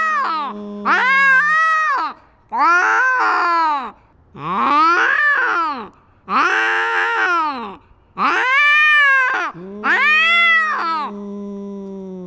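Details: Domestic cat fighting and asserting dominance over its territory, filmed with a GoPro: long, drawn-out wavering yowls, each lasting about one to two seconds, repeated with short pauses, rising then falling in pitch.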